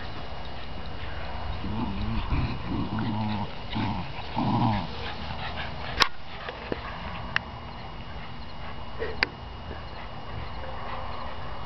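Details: Two dogs in a yard, giving low, buzzy growling bursts with whiny overtones over about three seconds, then quiet with a few sharp clicks and knocks.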